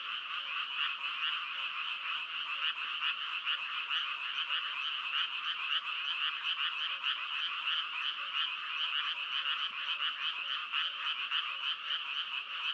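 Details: Frog chorus with rapid, overlapping croaks forming a steady rattling drone throughout, soft lower notes pulsing beneath and no other sounds.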